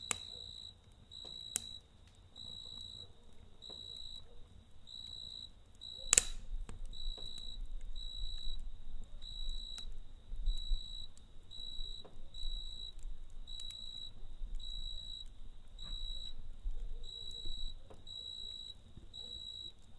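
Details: Cricket chirping at night beside a campfire: steady high trills in short bursts repeating roughly every half second to second, with sharp crackles and pops of burning wood and a low fire rumble underneath.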